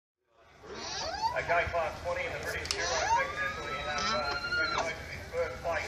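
Alpaca giving a series of nasal, tonal hums, some rising, ending in a long drawn-out note.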